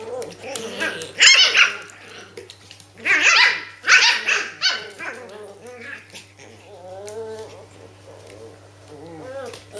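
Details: Japanese Spitz puppies, three females and one male aged 8 weeks and 4 days, playing together at a kennel: sharp high yaps and barks in bursts near 1 and 3–4 seconds, with softer whiny growling and squeals between.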